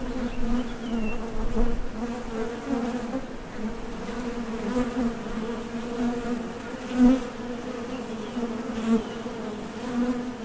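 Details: Honey bees buzzing at the entrance of a Top Bar Hive as foragers leave for and return from the field for nectar; a steady, dense drone with a low hum and faint overtones, swelling briefly as individual bees pass close.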